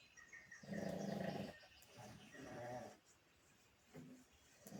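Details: A pug asleep, snoring in rough, rattling bursts: a long harsh snore, a softer second one a moment later, then a brief snort near the end, with quiet breathing between.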